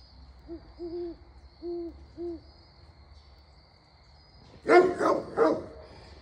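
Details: At a farm in Knoxville, Tennessee, low owl hoots are followed by three deep, loud barks from a Great Pyrenees guarding Pygmy goats against owls as predators.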